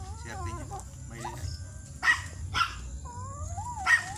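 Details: Thai import line Pomeranian dog offered for stud service at Mangaldan, Pangasinan, giving three short sharp barks spaced roughly a second apart, with a thin whining tone between them while people talk in the background.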